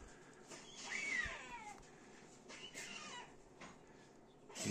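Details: Two rescued red squirrel babies, a few days old, naked with eyes closed and injured after falling from a pine in Tahitótfalu, give high, thin, downward-sliding squeaks a couple of seconds apart; late May 2023.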